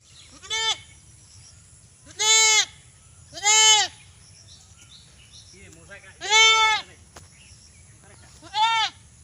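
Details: Desi goat bleating: five loud, nasal, wavering bleats with rich harmonics, irregularly spaced over about nine seconds, over a steady low background hum.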